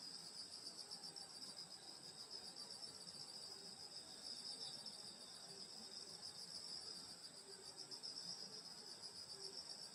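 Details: A countryside summer night chorus of grass insects near a grandmother's house: many overlapping high, ringing trills form a constant shimmering wall of sound with slight pulsing, and no other voices stand out.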